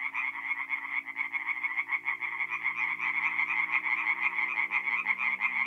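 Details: Tree frogs in full chorus by night at a forest pond in north-east Italy, mid-April; fast harsh croaks overlap densely, with a soft low hum in the background.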